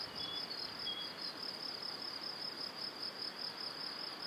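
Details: Crickets at dusk near a cereal field and forest, Powidz Landscape Park, Wylatkowo, in spring: a high rapid pulsed trill running without pause, plus a couple of faint short whistled bird notes early on.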